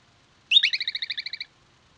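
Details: A groundhog near a fox den on 9–10 July 2022 gives a shrill whistled note that runs straight into a fast trill of about ten chirps a second, lasting about a second with quiet around it.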